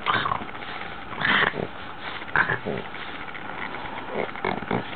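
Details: Ax, a nine-month-old female Boston Terrier, plays with a brush. She gives short rough grunting snorts in bursts about a second apart over a muffled, noisy background.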